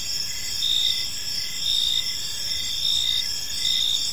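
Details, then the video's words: Park crickets at dusk keep up a bright, steady shrill, with pulsing chirp bursts returning close to once a second above a muted low background. "Cricket Sounds in a Peaceful Park"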